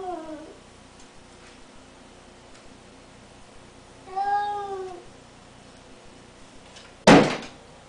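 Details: Bengal cat indoors giving one clear, drawn-out meow that rises and then falls, preceded by a faint trailing cry at the start and followed by a sharp door-like bang.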